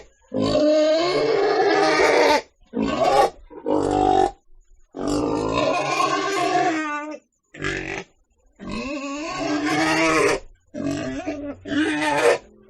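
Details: Loud, rasping pig squeals in uneven bursts, a long two-second scream followed by shorter choppy cries and brief pauses.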